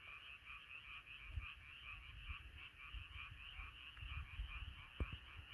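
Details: Night chorus of frogs: overlapping, quickly repeated croaking notes form a steady throbbing bed, with some low-pitched rumble and a sharp click near the end.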